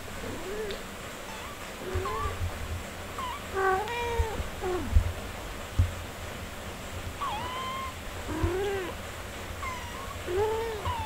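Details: Mother cat tending her four-day-old kittens after giving birth: lower, drawn-out meows with bending pitch alternate with a few higher thin kitten cries, plus occasional soft thumps and a steady low hum.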